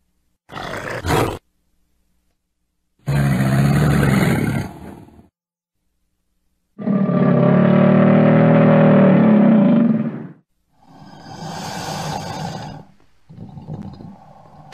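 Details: Crocodile producing a series of low, rasping growls and rumbles of varying length, the longest about three seconds, broken by abrupt silent pauses, with a throaty, resonant bass character.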